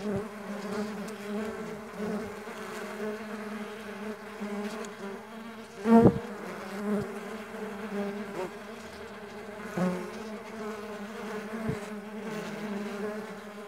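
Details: Mandaçaia stingless bees flying, a steady low droning hum of wingbeats with layered harmonic bands, briefly swelling louder near six and ten seconds as a bee passes close.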